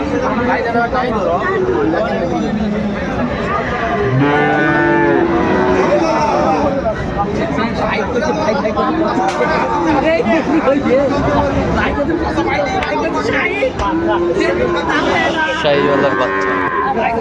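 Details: Sahiwal bull calves at a cattle market in Kurigram, Bangladesh, on 22 April 2025; a deep, drawn-out moo with stacked harmonics rises over steady crowd chatter and bargaining voices, with further lowing in the background.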